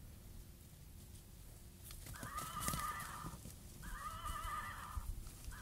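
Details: Miniature horse at play with a one-year-old baby, giving two steady, quavering whinnies roughly a second long, separated by a short pause, over low rumbling background noise and a few soft knocks.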